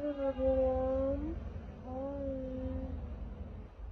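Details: Stray kitten rescued from the street at night gives two long, steady meows, the first about a second long and the second slightly falling at the end. A low background hum runs underneath.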